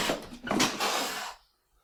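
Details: A domestic cat spits, a sudden explosive hiss of broad, harsh noise that cuts off abruptly. The spit is the explosive form of the hiss, a defensive signal of acute warning and surprise.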